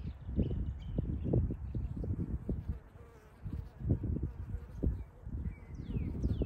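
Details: Honey bees at a hive in early spring in Ohio, warming in the sun while foragers return with nectar and pollen from maple trees; low droning buzz with repeated louder swells as bees pass close, faint bird whistles in the background.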